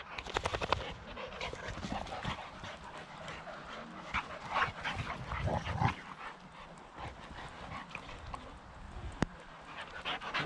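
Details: On a playdate with his girlfriend Tuva, male boxer Rex from near Landskrona, south Sweden, pants and snuffles hard in quick bursts, with scuffling play noises, a sharp click near the end and brief human speech.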